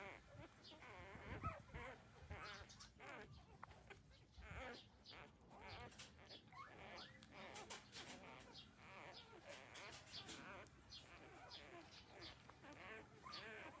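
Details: Thirteen-day-old newborn puppies nursing from their mother, drinking milk; many overlapping wavering whimpers and squeaks throughout, with suckling and shuffling noises beneath.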